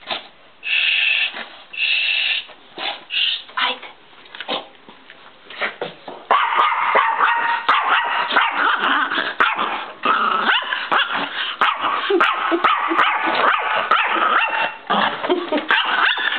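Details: Chihuahua angry at the camera: sparse short yips for about six seconds, then a dense, continuous burst of rapid high barks and whimpers running to the end.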